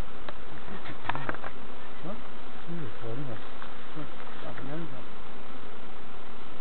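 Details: Novices checking hives at Summerwood Lane Allotments and Community Garden: bees hum in a constant buzzing drone, broken up by intermittent murmured human voices.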